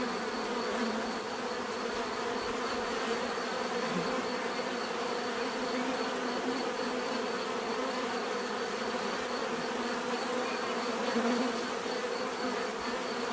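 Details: Even, continuous buzzing of many bees, a low-to-mid hum with overlapping droning bands and a faint high whine, steady from start to finish.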